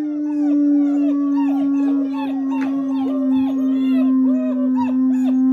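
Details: Several German Shepherd puppies howl at once after finishing breakfast on 21 January 2022, prompted by a person's howl. A constant low drone underlies a dense tangle of high arching, wobbling yelps with no break.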